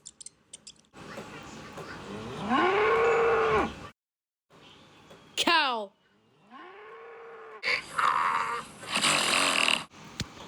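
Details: Cow mooing twice: a long, rising then level, droning moo, a pause, and a shorter second moo, with a brief chirp between them and rough noise bursts afterward.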